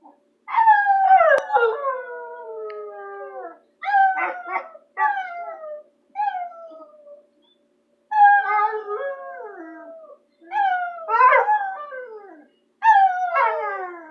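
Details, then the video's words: CoaCoa, a bulldog, howls because she loves Dylan: a run of about eight tonal, harmonic howls with falling pitch, some wavering and broken into yips, with brief pauses between bursts and no other sounds. "Howling bulldog"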